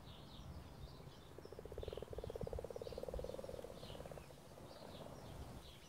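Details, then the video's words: Frog in mating season giving one soft, low, rapidly pulsed trill that lasts about three seconds. Scattered high chirps and steady background noise run throughout. "Mating frogs"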